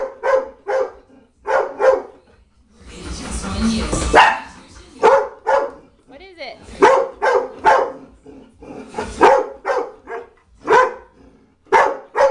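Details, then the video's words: Pet dog barking at a china cabinet indoors: short sharp barks in quick pairs and bursts, about a dozen over twelve seconds, with a burst of a woman's speech near the middle. "Dog barking at China Cabinet"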